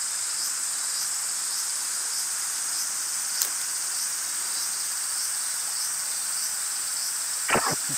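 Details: Aburazemi (large brown cicada) in woods near Fukuchiyama, Kyoto, 31 July 2022, while a collector tries to catch it: steady, dense sizzling drone with no pauses, a brief click midway and a short knock near the end.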